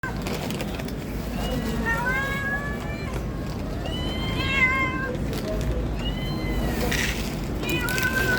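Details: Cats giving loud meows, several drawn-out rising-then-falling calls one after another, some overlapping, with steady outdoor background rumble and a brief burst of other noise near the end.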